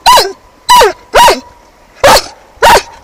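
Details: German Shepherd on a kayak fishing trip at Al. Stamboliyski reservoir, Bulgaria: five loud, sharp barks, each short and clipped, spaced about half a second apart, with a faint steady tone between them.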